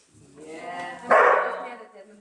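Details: Young dog barking during its first day herding sheep, annoyed by the stick rather than barking at the sheep; one loud, harsh bark bursts out midway, with quiet Finnish conversation before it.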